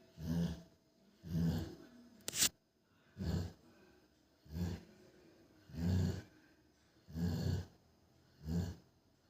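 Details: A sleeping female Rottweiler snores in deep, rumbling breaths repeated roughly every one to one and a half seconds.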